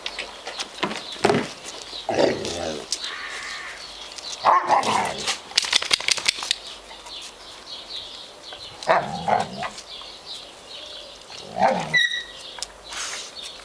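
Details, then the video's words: Chocolate Labrador Retriever puppies whose mother is gradually ending nursing and steering them toward other food; short sharp yelps and barks come in scattered bursts, with brief high squeaks and some rustling and handling noise between them. "chiots labrador chocolat - lab puppies"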